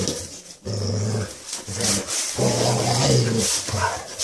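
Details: Basset Hound growling in low, droning bursts with a steady hum-like tone, three drawn-out growls separated by short breaths, with faint indoor rustling.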